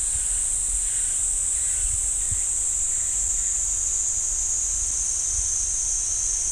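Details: Cicadas droning in the pine forest at Ssanggyesa temple, Jirisan National Park, as one uniform, piercing buzz that barely varies. Faint, soft lower calls flicker in the first few seconds, with light low rumbles beneath.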